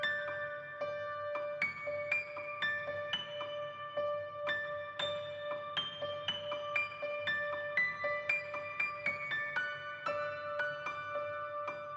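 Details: Gentle, slow piano melody with bell-like notes playing throughout.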